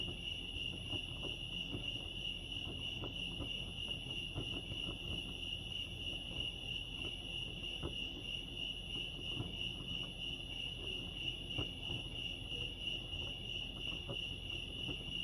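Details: Crickets chirping at Lake Arrowhead, California: a steady, unbroken high-pitched trill that runs the whole time, over a constant low rumble with faint scattered ticks and knocks.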